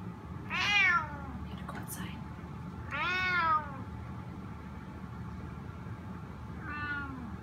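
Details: Spotted snow Bengal cat asking to go outside: three drawn-out, wavering meows, the first two loud and rising then falling, the last softer, spaced about three seconds apart over a low room hum.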